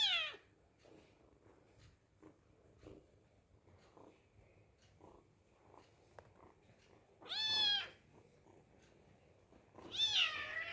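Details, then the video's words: Hungry kitten meowing while eating: a long quiet stretch with faint clicks and rustles, then two short, high, arching meows near the end, about three seconds apart. "The Kitten is Very Hungry And is Eating Animal Cute Cat Meowing"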